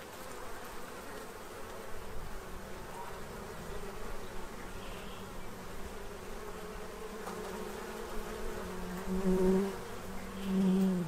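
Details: Many bees feeding at a tray before winter in Central Illinois; a dense continuous wing hum, with a louder bee passing close near the end and swelling the buzz twice.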